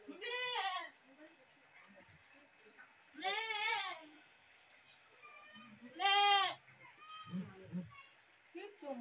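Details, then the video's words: Goat screaming three times, each loud harmonic bleat roughly a second long with a quavering, arched pitch, spaced about three seconds apart, plus softer lower grunts and faint background sounds. "goat screaming"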